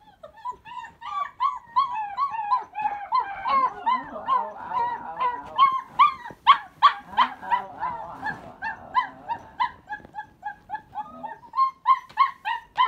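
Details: Three unhappy young puppies, not hungry, cold or lonely but wanting out of their pen, recorded by accident on a phone in a pocket: dense, rapid high whimpering yelps overlapping nonstop, with floor-washing noises beneath.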